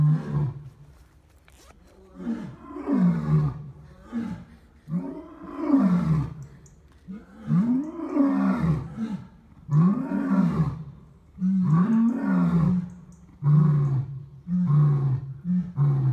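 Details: Lions roaring at Dartmoor Wildlife Park in Devon, UK: a series of deep, grunting roar bursts rising and falling, repeated roughly every one to two seconds, growing louder midway, with a faint background hum.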